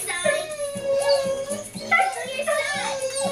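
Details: Mishka, a Siberian Husky, indoors missing her boyfriend King: sustained wavering howl-like vocalizations around a steady mid pitch, sliding up and down in talking-style inflections, with faint background music and a person's voice.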